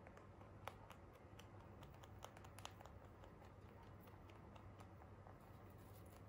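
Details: Free-roaming Holland Lop rabbits eating hay indoors, their crunchy chewing heard as quick dry clicks and crackles in irregular bursts over a steady low hum, quiet room.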